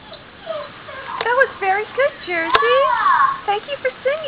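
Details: Pet dog singing to the Jeopardy! theme: a run of short, bent, whining howl notes, one longer swooping note in the middle, with a few sharp clicks and other voices faintly present.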